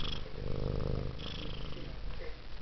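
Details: Female house cat named Taffy, whose purr is likened to a helicopter, rumbling in a loud low throbbing purr that holds steady, then eases slightly toward the end, with quiet talk nearby.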